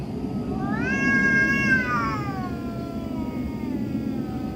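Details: Domestic cat heard in the middle of the night giving one loud, harmonically rich wail that rises quickly, holds a strained, nasal tone for about a second, then slowly falls and fades.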